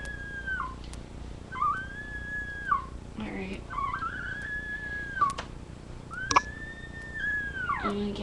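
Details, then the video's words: Labrador retriever puppies indoors, filmed on a live puppy cam; high, thin whines that arch and fall, several drawn-out cries over eight seconds with short gaps, faint clicks and room noise. "Puppies Making Noise"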